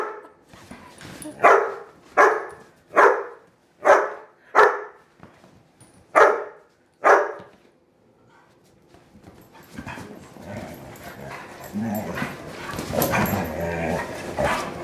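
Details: Play wrestling by German Shorthaired Pointer Kingsley and Wilma the Bloodhound; seven sharp barks spaced under a second apart, a pause, then rumbling growls and scuffling noise building toward the end.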